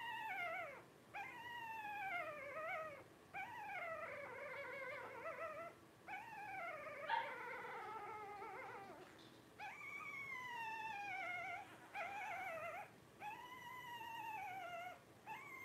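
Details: A litter of five Blenheim Cavalier King Charles Spaniel puppies at 12 days old keeps up a steady stream of high, sliding whines and plaintive cries, each lasting about a second, with brief gaps.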